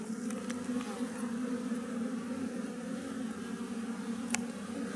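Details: Massed low buzzing from a wild western honey bee colony in a tree, a constant droning hum, with a few light ticking sounds scattered through.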